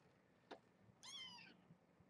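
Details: Kitten meow from a litter kept with mother Janine, a brown tabby rescued as a stray near Tulalip, WA, at Purrfect Pals: one short, bright, harmonic-rich mew lasting half a second, gently falling at the end, after a soft tap.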